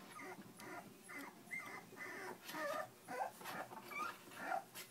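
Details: Three-week-old puppies in a litter whimpering: overlapping high, squeaky whines and yelps, roughly two per second, uneven in rhythm and pitch, some rising and falling, over quiet background hiss.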